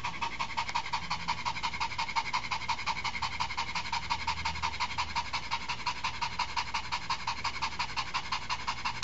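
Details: Shih Tzu bitch breathing hard after being taken for a walk: fast, even huffs at close range, close to three per second and very regular throughout, with no other sounds standing out.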